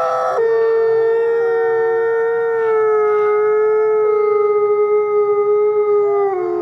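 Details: Twilight howling by captive gray wolves at the Wolf Conservation Center, New York: after a brief higher cry, a single sustained, even-pitched howl carries on for about six seconds with a faint pulsing toward the end.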